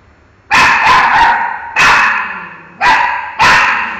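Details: A pet dog barking at a mango: four loud, harmonic barks, some doubled or tripled in quick bursts, spaced about a second apart with quiet gaps between.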